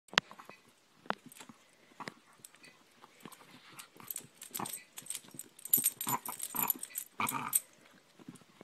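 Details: A pet dog humping a favourite toy indoors, giving short grunting, wheezy snorts and panting bursts that grow denser and louder toward the end, with a person speaking briefly.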